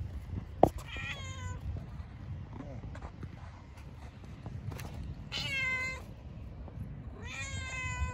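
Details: Cats living in a park, outdoors among strays: three clear harmonic meows at about one, five and seven seconds, each drawn out and slightly falling, with a sharp click early on and low rumbling background noise.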